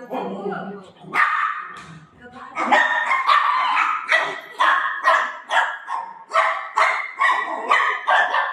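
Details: Playful golden retriever with its owner, letting out a steady stream of short, harsh barks at an uneven pace of about two per second, preceded by a brief burst of human speech.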